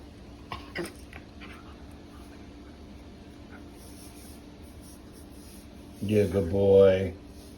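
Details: A male Welsh Terrier gives a brief, wavering whine-groan after several seconds of near quiet.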